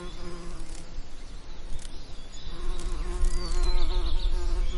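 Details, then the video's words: Bees humming among summer lavender: overlapping buzzes rise and fall in loudness beneath strong low wind rumble, with brief high bird chirps scattered through. "Relaxing Lavender Summer Ambience & Bee Sound Effects"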